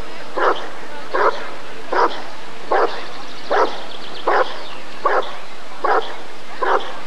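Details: Rottweiler barking at an ADRK breed survey (Körung) in 1994. Nine evenly spaced, forceful barks come roughly every 0.8 seconds over a low, steady room noise.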